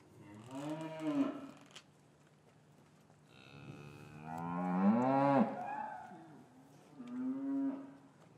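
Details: Gentle lowing from cows in a traditional English farm yard on a winter afternoon after the calves were taken from their mothers: three moos, a short one, a long swelling rising-and-falling call, then a shorter final low.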